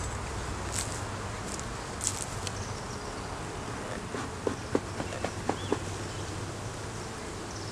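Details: Honey bees in a beeyard hive opened for inspection, where a laying queen, honey, capped brood and larvae were found; a steady low droning hum runs throughout, with scattered clicks and taps from handling the frames.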